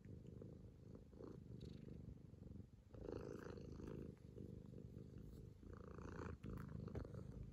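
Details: Kitten Bıdık purring on an owner's lap while kneading, or making biscuits, to show and receive affection; a steady low rumbling purr runs throughout, swelling and easing with each breath, in a quiet indoor room.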